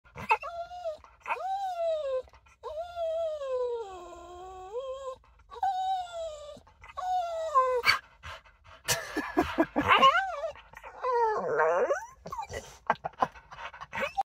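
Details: A blue Staffordshire Bull Terrier whines and yelps in long, wavering, high-pitched cries of excitement on realising she is at the park.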